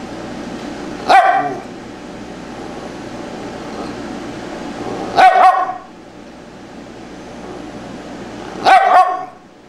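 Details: Tibetan Spaniel Fido reacting to sounds: three short, sharp barks spaced several seconds apart, the last two as quick doubled yaps, against a low steady hum.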